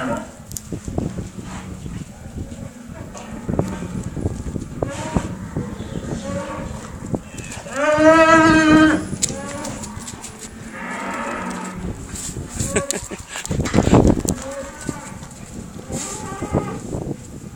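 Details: Cow in the company of a Rhodesian Ridgeback dog, giving a loud, drawn-out moo near the middle amid steady background noise and a few quieter lowing sounds before and after.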